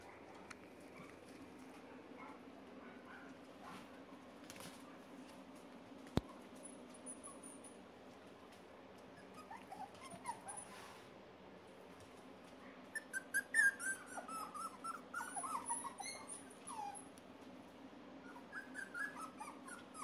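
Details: Red Miniature Poodle puppies, three males, whine in the second half after a long stretch of quiet room hum, with a burst of high, squeaky, wavering whimpers and short yelps crowding together toward the end.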